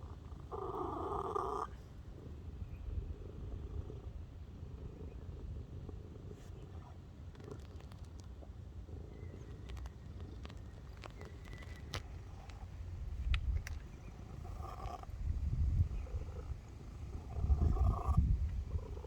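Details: Purring cat, continuous deep rumble throughout, quiet through the middle and strengthening toward the end, with a loud fuller burst at the very beginning and faint clicks scattered across it.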